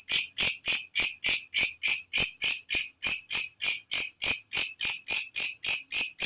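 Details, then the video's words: A katydid sounds its loud call after dark, recorded as masteran for songbirds; each pulse is a bright, hissing high chirp, repeated steadily about three times per second. "walang kecek masteran untuk semua jenis burung||suara asli alam"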